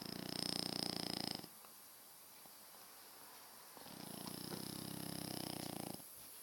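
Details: Pet French Bulldog, from a household of two, snoring heavily: two rattling, fast-fluttering breaths, the first about a second and a half, then a two-second pause of quiet hum before a second, longer snore of similar rasp.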